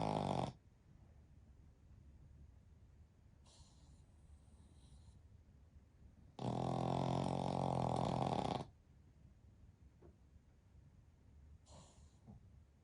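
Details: Sleeping Pekingese x Shih Tzu mix, one of a three-dog family napping together, gives one long, loud, throaty snore lasting about two seconds amid softer wheezing breaths and quiet pauses.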